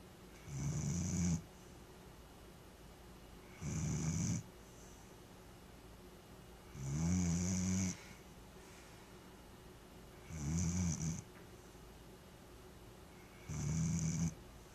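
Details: A Vizsla snores in slow, rumbling bursts, each breath lasting about a second, repeated every three seconds; recorded June 5, 2010.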